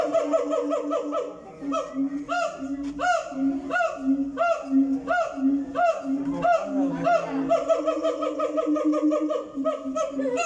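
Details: Captive siamang in a zoo calling: loud, rhythmic series of rising hoots and whooping notes repeated several times a second, building in a long excited sequence with strong harmonics throughout.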